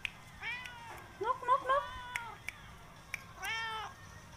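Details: Pet cat being affectionate and asking for attention indoors: a drawn-out meow, then a quick run of short rising-and-falling mews, and a final longer meow, with people talking softly in the background.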